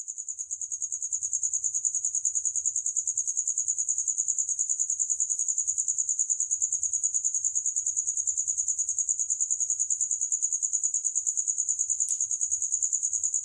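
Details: Cricket calling in a steady, very high, shrill trill, made of rapid even pulses repeated about three times a second without a break, with a faint low rumble beneath.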